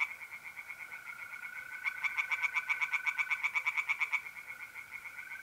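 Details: April night at a pond in North-East Italy. Softer tree frog pulsing swells into a loud, fast rattling burst for about two seconds, then fades, while mole crickets keep up a constant even trill throughout.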